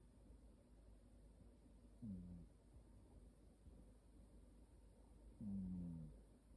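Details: Sleeping cat snoring softly: two low, humming, slightly falling snores about three seconds apart, with a faint steady room hiss between breaths.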